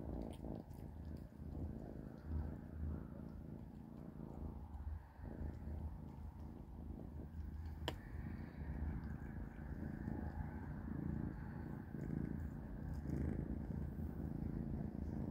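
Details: Kittens Panda, Grayie and Goldie eating dry cat food for dinner; a steady low rumbling purr runs throughout, with soft pulsing, a single sharp click near the middle and faint background noise.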